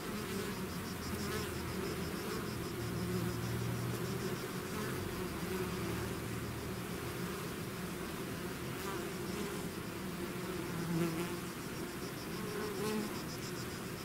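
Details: Honeybee swarm pouring out of its hive, a dense continuous hum of many wings layered in low droning tones, steady throughout with slight swells in loudness and no other sounds standing out.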